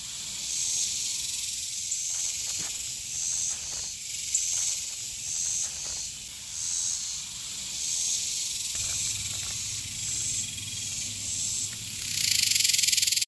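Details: A male dog-day cicada, the loudest one singing that summer day in Texas, gives a loud, high, hissing buzz that pulses and swells steadily.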